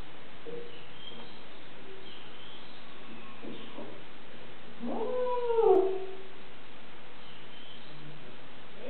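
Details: Female domestic cat that has just arrived at a new home and seems unhappy, making a woo sound: one drawn-out, wavering, slightly rising then falling call in the middle, with quiet before and after.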